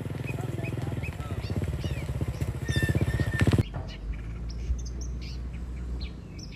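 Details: Tame cattle herd walking home along a village road to their shed with their herder, in a calm countryside setting. One deep, drawn-out moo rich in low harmonics lasts about three and a half seconds, then breaks off; faint bird chirps sound behind.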